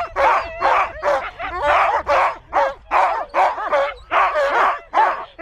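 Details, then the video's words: Dog barking in a fast, uneven series of loud, rough barks, about two per second, some overlapping in quick doubles, with no other sounds. "Szczekanie psa"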